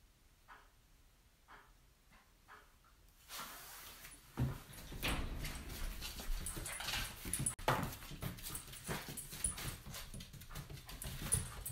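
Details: Cairn Terrier. A Cairn Terrier puppy makes short, soft whimpers and little yips in quick succession while playing. Broad rustling and scuffling noise soon covers much of the sound.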